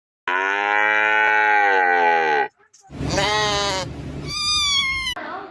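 A cow gives a long, steady, slightly falling moo, followed by shorter, higher calls.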